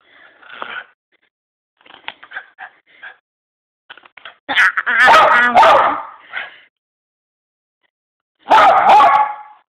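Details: Bruce, a Miniature Poodle, frustrated while trying to eat a treat: several short, soft whimpers and snuffles, then two loud, harsh, harmonic bursts of barking and yelping, each lasting about a second, with quiet gaps between.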